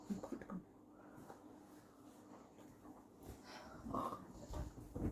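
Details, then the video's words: Female pet dog named Ammu playing indoors at night, refusing to let the household sleep while the light is on; faint, scattered whimpering and soft vocal squeaks over a broad hiss of room noise, with a thin higher tone near the end. "dog sounds"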